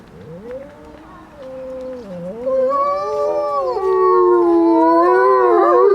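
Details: Several gray wolves howl together at Grodno Zoo, long sliding tones that rise and fall and overlap into a chorus.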